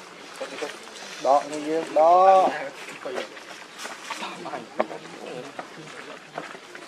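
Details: Baby monkey Leo, hungry and crying as he begs his mother for milk: two loud wavering wails arch up and down in quick succession early on, then quieter rustling, faint chatter and scattered soft outdoor noises follow.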